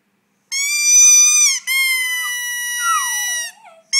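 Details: Border Terrier named Austin howling on cue when his owner asks him to sing: a steady, high held note, a brief break, then a second long tone that ends in a sliding, falling wail.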